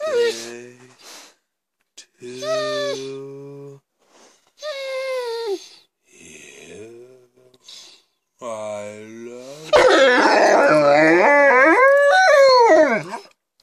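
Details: Scipio, a Rhodesian Ridgeback indoors, howls along as people sing Happy Birthday. Steady sung phrases come first, then a loud, wavering, high howl rises and falls over several seconds, tangled with the human voices.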